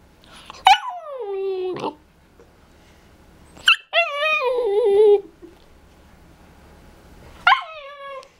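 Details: A young male Siberian Husky, learning to howl and "talk", gives wavering, whiny howls that slide downward, each starting with a sharp yip.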